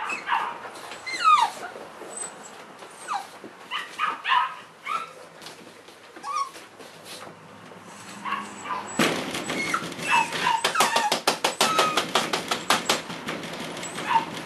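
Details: Three Cavalier King Charles Spaniel puppies in March 2014 give high, wavering whimpers and short whines, some rising then falling, in scattered bursts. Dense rapid clicking and scratching sounds take over the second half.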